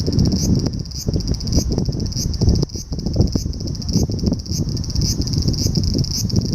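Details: July summer cicada recorded in Japan, its shrill high buzz throbbing in regular pulses about twice per second, with loud low-pitched rumble and knocks running underneath.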